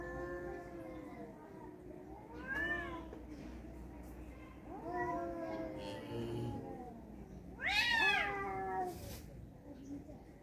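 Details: Tomcat fight, two males: intermittent wavering yowls and rising wails, with a sudden loud high-pitched screech late in the clip, over a steady low background hum.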